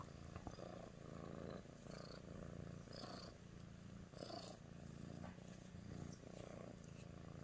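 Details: Nyx, a female Sphynx cat, purring while showing affection to her human; a steady low rumbling purr with soft pulsing breaths throughout, plus faint light rustling.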